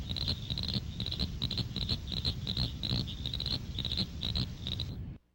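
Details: A cricket frog, a tiny frog about an inch and a half long, in Maryland ponds, gives rapid, sharp clicks like pebbles or marbles tapped together; this species calls later in the season than other frogs.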